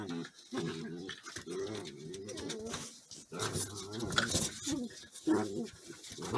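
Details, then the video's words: Border Collie puppies play fighting, pouncing and stalking each other, giving repeated low harmonic growls in bursts, with scuffling and short high yelps between them. "Vicious Border Collie Puppy Play Fight"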